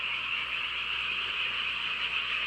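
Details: Frogs chorusing on a country night in a rural hometown: a dense, unbroken wall of high croaking and trilling that holds steady without pause for the whole stretch.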